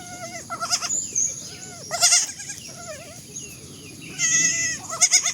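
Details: Baby goats bleating repeatedly: several short quavering high bleats spread across five seconds, some overlapping, with softer bleats between and low background noise.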